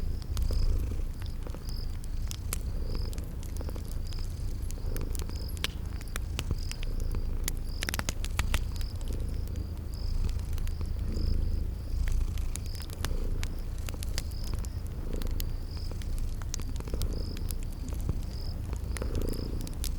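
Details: Cute kitties asleep and purring beside a crackling fireplace in a spring garden: a sustained low rumbling purr, steady crackle pops from the fire, and short high whistled tones repeating roughly every second.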